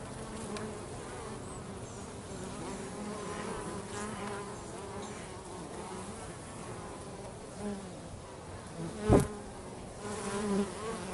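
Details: Bees at home while working, giving a steady low buzzing hum with drifting tonal bands throughout, one sharp brief click near the end and slight swells in loudness.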